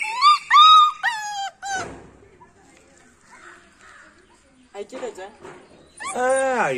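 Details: Beagle crying with several shrill, wavering whimpers at the start, a quiet stretch with brief murmured human voices, then a final loud, drawn-out whining yelp.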